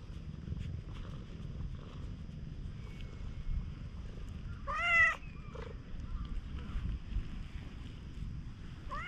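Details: Affectionate stray cat at a campsite after rain giving a clear, rising-then-falling meow midway, a short second mew soon after, and the start of another at the end, over a low background rumble.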